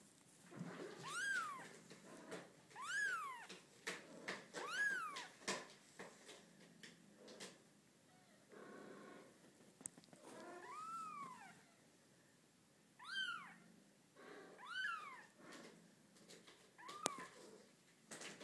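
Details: A six-day-old female Bengal kitten with large rosettes gives high, thin mews that rise and fall, repeated every second or two.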